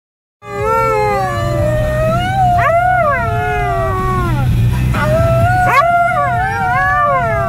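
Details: A Siberian Husky howling along to the song Born in the USA: long, wavering howls that slide up and down, with short rising swoops between them, over a steady low hum of background music.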